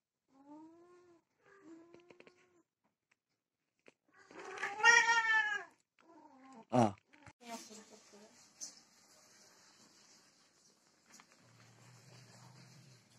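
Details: Desi and Persian cats mating indoors: a few soft mews, then a loud, strained yowl of about two seconds, followed by a sharp thud, a person speaking quietly and a low hum.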